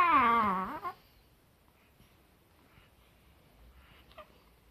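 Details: Chihuahua named Rana, June 2018: one wavering, warbling whine with a quivering tone lasts about a second and dips slightly in pitch, then near silence with a faint click near the end.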